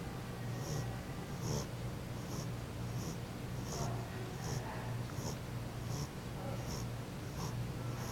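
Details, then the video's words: Jenny, a French Bulldog, snores while asleep indoors: short, breathy, hissing snorts come in a steady rhythm roughly every three-quarters of a second over a constant low electrical hum. "snoring french bulldog"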